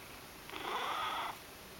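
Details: Ragdoll cat perched on a table, looking restlessly around; one short mid-pitched meow-like call with clear harmonics, lasting under a second, over a soft steady indoor hiss.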